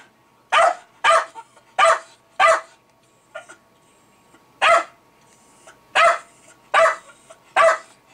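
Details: Jack Russell Terrier Milo barks at fermenting beer that bubbles and releases CO2. About nine sharp, loud barks come singly or in pairs, with gaps of one to two seconds. Quiet room background.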